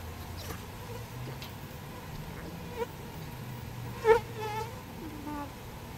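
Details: Honeybees rescued from a birdhouse and moved into a proper bee box. A continuous low humming drone fills the clip, with a sharp knock near the end and faint handling sounds.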